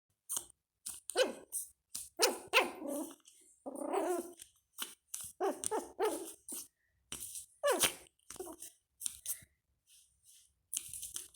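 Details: Pomeranian puppy at play gives a rapid run of short, sharp yapping barks and huffy bursts. Brief silent gaps separate the sounds over about eleven seconds, and there are no other clear sounds.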